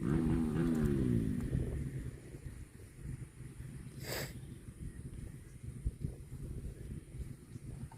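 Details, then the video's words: A cow gives a falling moo lasting just over a second at the start, sliding downward in pitch, then a long quiet stretch of low rumble broken by one brief crackling burst. "CUTE AND FUNNY COW SOUND VIDEOS COMPILATION"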